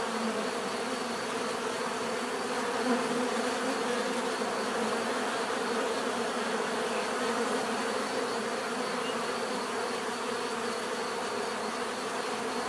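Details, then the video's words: Constant low droning hum of a mass of bees, even and unbroken, faint individual buzzes rising and falling within the swarm. "bees therapy relaxing natural buzzing sound"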